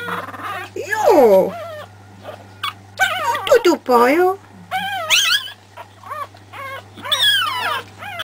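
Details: Pekingese puppies, a litter three weeks old, giving high wavering whines and squeals that rise and fall in pitch, overlapping cries in several bursts, with a steady low hum underneath.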